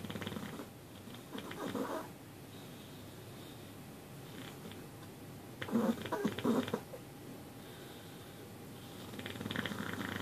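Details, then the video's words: Bud, a cat in deep sleep, making noises indoors: soft rumbling bursts of purring and snuffling that swell around two seconds and again near six seconds, with quieter breathing between. "Bud in deep sleep making noises"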